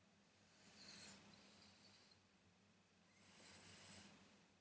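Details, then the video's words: Pug named Rada asleep indoors, snoring: two long breathy, hissing snores about two and a half seconds apart, each swelling and fading, over a steady low room hum. "Храпят ли мопсы"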